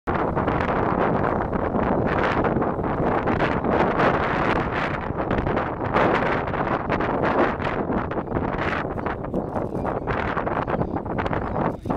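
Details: Steady wind buffeting the microphone fills the whole stretch, with no bird calls standing out.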